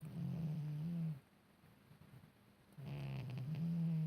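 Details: A cat snoring in deep sleep, indoors: low, steady rumbling snores around a second long, separated by a quiet pause, with a faint soft rasp at the start of the second breath.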